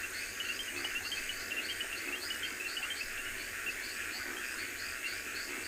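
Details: Reed frogs calling from a river in South Africa's game reserve bush during an afternoon-to-evening safari in October, a dense chorus of high, rapidly repeated clicks and chirps.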